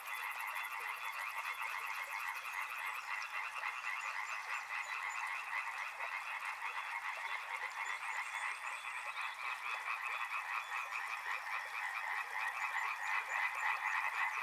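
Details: Frogs in full chorus by a river, rapid trilled croaks from numerous animals merging into an unbroken pulsing wall of sound; a faint high buzzing insect-like trill in the first three seconds.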